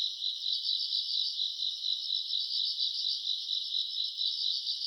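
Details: Recorded in August on a summer night, grass insects keep up a high, even chirring, softly throbbing in quick regular pulses with no gaps and no other sounds.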